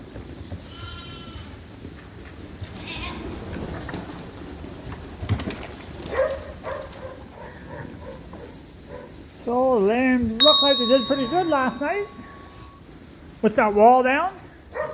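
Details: In a barn at Ewetopia Farms, mixed groups of Suffolk lambs: after quiet rustling and faint background sounds, two loud wavering bleats ring out near the end, one around ten seconds in and another at about fourteen.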